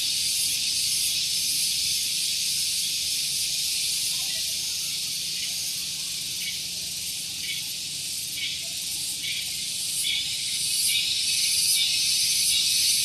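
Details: Shrill cicada song at Gunung Geulis, Bogor, West Java, recorded in the morning near parked vehicles: an intense high buzzing wall of sound with regular pulses about three per second, swelling louder toward the end.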